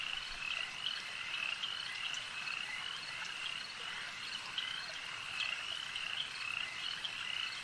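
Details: Lakeside frogs in full chorus: countless high, rattling trills blend into a constant buzz, punctuated by short bright chirps and faint clicks, with no wind, voices or other animals standing out.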